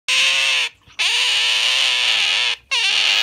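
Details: Pet Asian small-clawed otter clinging tightly to its owner's arm in a hug, giving two long, loud, high-pitched squealing calls rich in harmonics, each ending in a brief upward flick, separated by a short gap.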